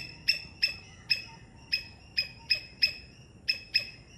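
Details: In Sri Lanka, a three-striped palm squirrel calls with eight spaced, piercing chip notes, each ringing briefly, irregularly timed across four seconds against soft background noise.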